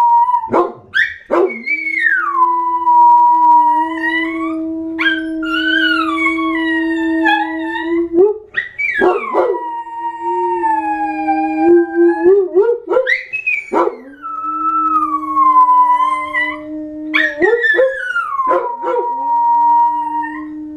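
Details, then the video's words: Multiple dogs howl in chorus: long, steady drawn-out notes layered over each other, repeatedly broken by short yelps and swooping rising-then-falling wails. "My crazy howling dogs..."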